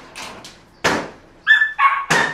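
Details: Paraluman, a Belgian Malinois, mixes soft short yips, a sharp bark, a high thin whine, and a final louder bark.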